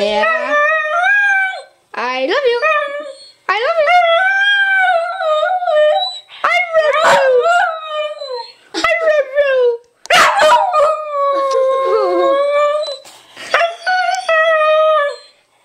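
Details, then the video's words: Pet dog indoors, coaxed to say "I love you", answers with long wavering howls and yodelling whines in several drawn-out phrases, pitch sliding up and down, short gaps between bursts, a person speaking in the room. "Honey says I Love You"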